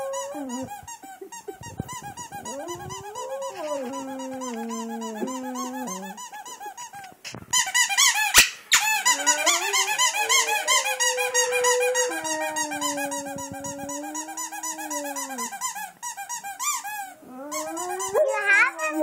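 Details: Squeezed squeaky toy prompts a Boxer to sing, with sustained, slightly wavering howls that step between pitches for several seconds, over a continuous stream of quick high-pitched squeaks.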